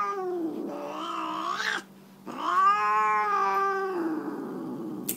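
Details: Tammy, a Siamese tabby not fond of her pedicure, yowls repeatedly while her nails are clipped: a wavering cry climbing in pitch, a short pause, then a long strong wail that fades into a lower grumble, ending with a sharp click.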